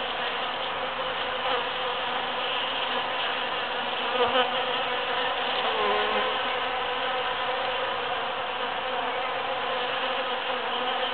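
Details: Bees foraging through huge cactus flowers in June, after the super full moon of 22 June 2013: a dense, continuous buzzing hum from many insects, steady throughout with slight swells.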